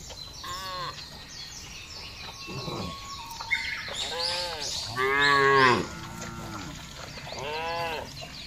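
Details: Herd of tame cattle grazing loose on a large grassy village pasture: several separate moos, short then longer and louder, one deep bellow near the middle, with steady bird chirps throughout.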